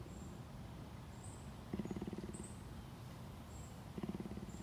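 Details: Cougar purring at a sanctuary in Tampa, Florida, USA: low, rapidly pulsed throbbing bursts about two seconds apart, over steady outdoor hiss and thin high bird chirps.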